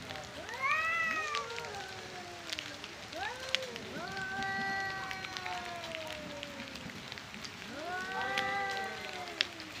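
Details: Two angry male cats fighting over their area and for breeding, trading long, wavering harmonic yowls that rise and fall. The drawn-out wails overlap and recur in several bouts over ten seconds, with light background noise.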